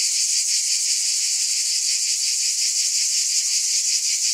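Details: Cicadas buzz in a thick, high wall of sound, an even rasping hiss with a quick regular flutter, with no pauses or other noises.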